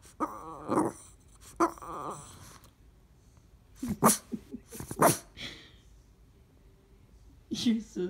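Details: A female Boston Terrier gives drawn-out, throaty grunts and groans, which she does when she doesn't get what she wants, with a person talking nearby.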